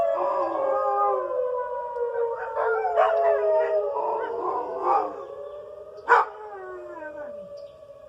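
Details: Dogs howl in response to the weekly tornado siren test; long sliding howls and short yelping breaks layer over the continuous siren drone, fading toward the end with a sharp sound near six seconds.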